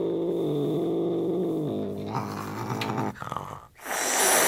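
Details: British Shorthair cat (Felis catus), angry growl: expressing anger.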